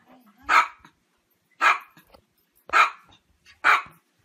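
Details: Dog barking: four loud, sharp, broadband barks evenly spaced about one second apart, with near silence between them.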